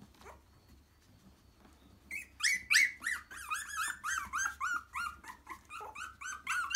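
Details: Three-week-old cockapoo puppies coming to their mother and settling, filmed with live sound: after two quiet seconds, a run of high, wavering squeals and whines, several a second, bending up and down in pitch, over a low room hum.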